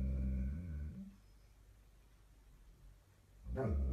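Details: German Shepherd dog giving a low, harmonic growling rumble for about a second, then quiet room tone, with a brief loud low growl or bark burst near the end.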